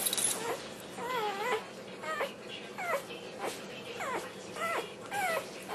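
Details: Black tri Australian Shepherd puppy, born November 2008, singing while eating its dinner: a string of short, high whimpering notes that bend up and down, repeated about once a second with brief gaps between them.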